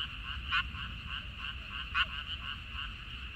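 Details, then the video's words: Frogs in a minari (water dropwort) field, 14 May 2021: a soft, continuous background chorus of trilled croaks, with two louder, sharper calls standing out near the start and the middle, over a low rumble. "고향 생각 나게 해주는 개구리 소리, 미나리밭의 그놈들, Croaks of Frogs, Sounds of frogs, Song of frogs"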